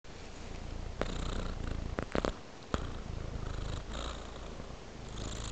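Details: A sleeping domestic cat purrs with a low, steady rumble. Brief clicks and soft knocks break in near the middle.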